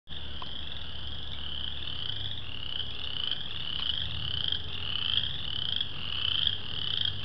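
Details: A dense spring frog chorus of wood frogs, western chorus frogs and spring peepers calling together in Bacon Woods.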